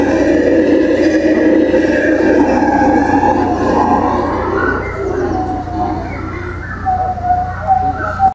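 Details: Black-and-gold howler monkeys (Alouatta caraya) roar in a thick, rumbling chorus that eases after about five seconds, giving way to thinner wavering tones and short whistled notes until the end.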